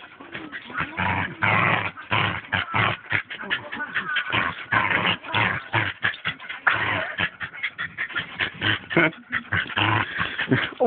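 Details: Pet dog playing tug of war with a new toy indoors, giving continuous rough growls and huffing bursts throughout, with toy tugging noises and a person's voice nearby.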